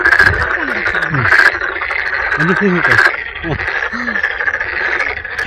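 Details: Many toads call together in a chorus of short, low, croaking chirps over a steady rushing background, at Sangdang Mountain Fortress, Cheongju, where large numbers of toads and toad tadpoles were found.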